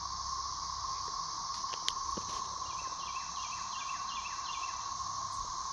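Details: Thirteen-year periodical cicadas singing overhead in a rural dog yard in 2024 during their emergence from the soil, as early ones die off; a steady, unbroken droning chorus with a higher hiss, plus a short run of faint descending bird chirps midway.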